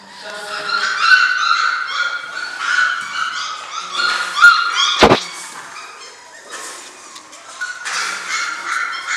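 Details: Six-week-old German Shorthaired Pointer puppies of a single litter whine and yip in a busy chorus of overlapping high-pitched harmonic cries, broken once by a sharp loud knock.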